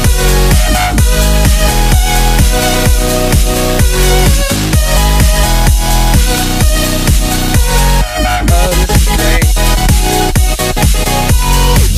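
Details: Loud electronic dance music with a pounding, steady bass beat and layered synth tones fills the whole stretch, with no animal heard.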